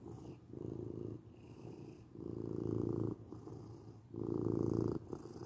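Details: Domestic cat purring at close range: a low buzzing rumble with a quieter opening, then two stronger bursts roughly a second long separated by soft gaps.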